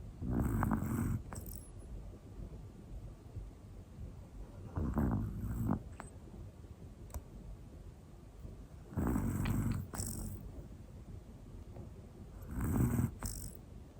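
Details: Hana, a one-year-old female black Pomeranian, snores in her sleep: four low rumbling breaths about every four seconds, each a grainy snore with a brief nasal whistle at its end, otherwise a quiet room.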